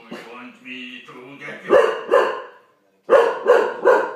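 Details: Olde English Bulldogge startled by a Megatron toy, answering with loud, deep barks: two sharp barks, a pause, then three more in quick succession, with human speech beforehand.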